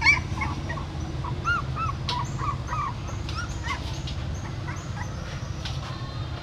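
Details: Female dog at a pagoda in Siem Reap, having given birth inside a stupa hole, carrying her newborn puppies in her mouth to another place; a few faint, high arched whines over a steady low hum.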